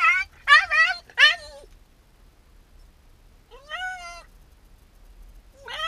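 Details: Shiba Inu dog protesting at being left alone as its owner goes out on an errand: three quick, wavering whimpers, a pause, then a longer rising-and-falling whine and the start of another.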